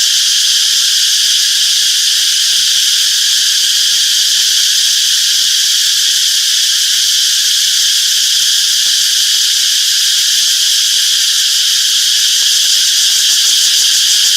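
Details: Steady, piercing drone of many cicadas in a peaceful summer forest, even in volume from start to finish.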